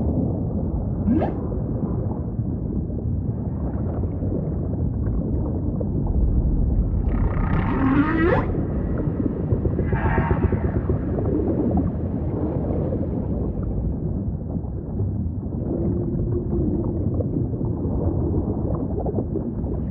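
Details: Humpback whale song under constant low ocean rumble: a short rising squeal, then rough broadband grunts around seven to ten seconds, and a faint drawn-out moan near the end.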